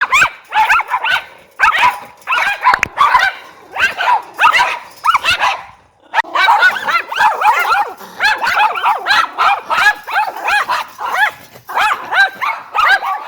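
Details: Several dogs barking together as a group, dense overlapping sharp barks and yips repeating rapidly throughout, with a brief pause around the middle before the chorus resumes.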